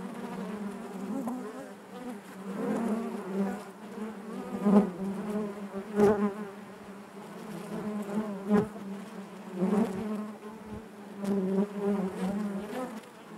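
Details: Steady droning buzz of many honey bees within their hive, rich in overtones and pulsing louder and softer every few seconds, with faint scratchy clicks throughout.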